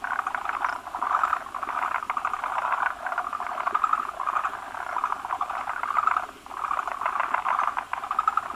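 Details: Male forest green tree frogs assembled at a spawning site around an egg-bearing female that lays foamy masses; bursts of rapid, rattling croaks pulse in rising and fading waves, dipping briefly before resuming strongly.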